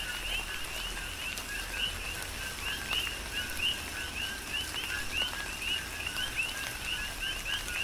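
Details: Coqui frogs calling in a tropical rain shower on the Big Island of Hawaii: a dense chorus of short rising two-part chirps around two to three kilohertz, overlapping continuously, with steady rain patter and occasional raindrop taps.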